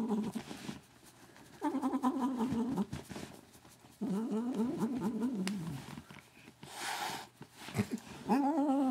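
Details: Pet cat named Katherine making strange sounds while her ears are rubbed: long wavering, warbling low moans that rise and fall, in several drawn-out bursts separated by quiet gaps, with faint clicks and rustling indoors.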